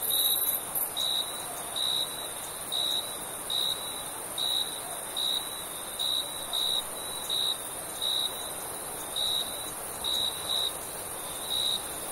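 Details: A cricket chirping at night in summer, its short, piercing chirps repeating roughly every second at even pitch, with a thin high buzzing background and otherwise quiet surroundings.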